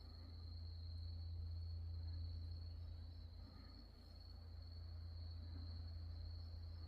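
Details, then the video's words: At nightfall in the grounds of Wonhyosa temple on Mudeungsan, October 2024, grass insects keep up one continuous, even, shrill ringing tone, while a heavy low rumble fills the background the whole time. "어두워진 산사에서 풀벌레소리"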